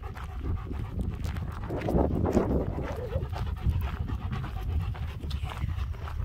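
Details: German Shepherds Nico and Zeeva out on a spring walk near Hawick, with lambs bouncing nearby, recorded on a phone; rhythmic breathy panting puffs over steady low wind rumble and footstep noise.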